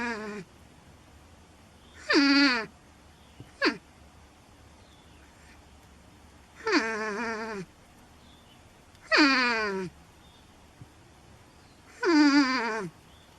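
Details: Porcupine giving four loud, drawn-out whining cries, each sliding downward from high to low and spaced about two to three seconds apart, with one short sharp squeak between the first two; quiet background otherwise.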